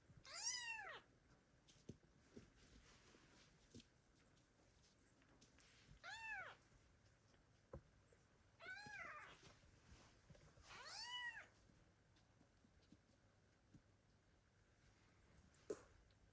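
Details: Kittens left by their mother cat call loudly for her in 2022; short arched meows come every two to three seconds, five in all, with light knocks and room noise between.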